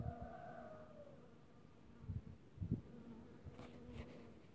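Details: Honey bees visiting spring squill flowers on 4 March 2024: a steady low droning hum holds through most of the recording, broken by soft thumps and rustling, with a brief sliding tonal sound at the start.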